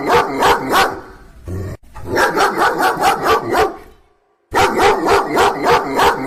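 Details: Dog barking loudly: rapid runs of sharp, harsh barks about three to four per second, a brief pause, another fast burst, then half a second of silence before the barking resumes just as quickly.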